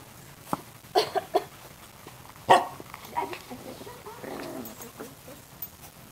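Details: Chow Chow puppy playing with its brothers: a quick cluster of short, high yaps near the start, then one sharper bark, followed by softer grumbling and scuffling noises.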